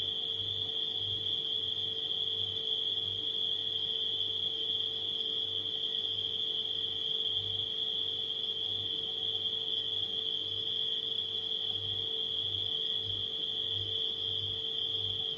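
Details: Nighttime crickets keep up a steady, high, shimmering trill over a refrigerator hum.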